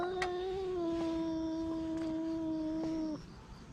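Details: Stray cat grumbling while guarding its food: a loud, even, tonal moan held for about three seconds, gently sinking in pitch before stopping abruptly, over low background noise.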